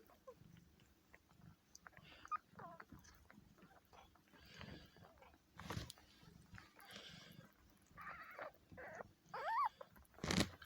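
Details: Birth of a kitten to Kitty, a worn-out four-year-old female cat helped along by her owner. Quiet, scattered rustling gives way to a few faint, short rising-and-falling mews near the end, with soft handling sounds and brief murmuring.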